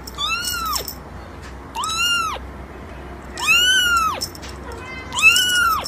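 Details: Loud, close kitten meowing: four drawn-out, whining cries, each arching upward before falling away, spaced about one and a half seconds apart against quiet room noise.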